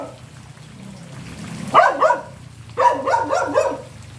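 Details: A dog gives two rapid runs of barks, three to four each, separated by a brief pause, over a quiet low rumble in the background.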